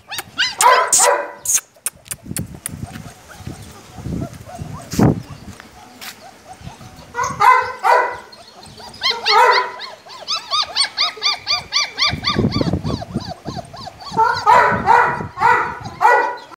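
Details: German Shepherd puppies aged 34 days, single coat, whining and yelping in clustered bursts separated by quieter stretches of handling noise, taps and faint human voice.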